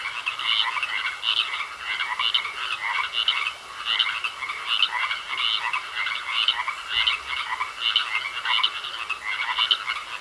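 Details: Frogs croaking in a pond: a dense chorus of rasping, pulsed croaks overlapping in a mid-to-high register, swelling in bursts roughly twice a second, with a thin steady whine running underneath throughout.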